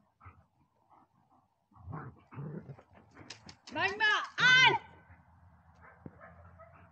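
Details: Dobermann Magmar Von Der Burgstätte, aged 11 years 7 months, gives a short burst of high, arching whining yelps after soft scattered clicks and low murmuring, then a quiet hum.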